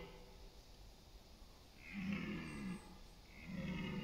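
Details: Red deer stag roaring during the autumn rut on September 28 in East Serbia's countryside forests and meadows, competing for dominance and mates; two hoarse, low, drawn-out roars with a rough harmonic texture, the second starting as the clip ends.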